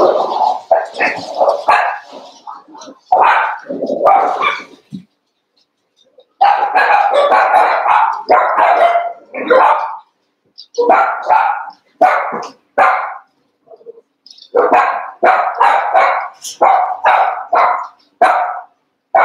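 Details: Cavalier King Charles Spaniel puppies, Daisy's six merged with Robin's two for playtime, eight pups together; dense runs of high, sharp yips and barks tumble over one another, broken by brief silences near five and fourteen seconds.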